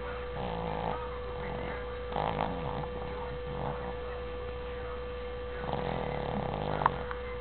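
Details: Sleeping female Shih Tzu, deeply knocked out and still asleep after her head was shaken, snoring in soft rasping bursts about every one and a half seconds over a steady low electrical hum.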